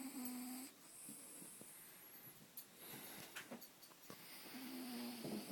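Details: Sleeping pet dog snoring indoors: a thin, steady whistling tone at the start and again near the end, with raspy, wheezy breaths and soft rustling between them.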